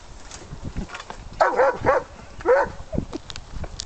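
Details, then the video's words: Operational search and rescue dog, trained to stay and bark, barking at the base of a blind where hidden subjects lie after tracking scent through cones on a windy day; a few sharp, loud barks in a short burst over wind and rustling. "Search and Rescue dog in Stay-&-Bark Exercise"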